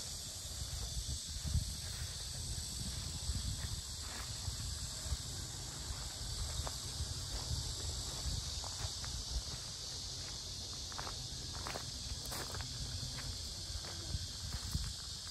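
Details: Loud cicada chorus around Asan's Sinjeongho lotus fields: an unbroken high, hissing buzz holding steady throughout, with walking footsteps, scattered clicks and low rumble beneath it.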